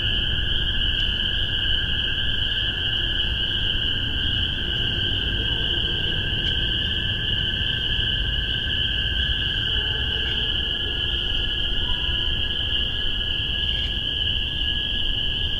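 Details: Spring peepers calling in spring 2015 in Massachusetts, recorded with a spaced omni microphone pair on a Tascam DR-40. A dense chorus of many high peeps merges into a steady, unbroken ringing with a lower ringing layer beneath and a faint low rumble.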